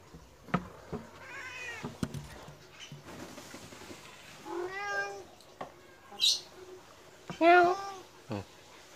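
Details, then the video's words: Persian cat of medium size begging for food although it was just fed, seemingly annoyed; two clear bent meows come several seconds apart, the second louder, amid scattered clicks and a voice. "kucing meong meong meminta makan"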